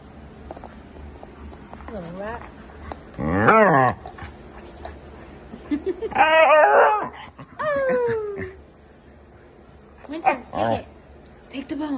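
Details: Huskies talking in a home, drawn-out yowling and whining calls with rising and falling harmonic sweeps, several bursts over twelve seconds, a woman's speech and background music between them.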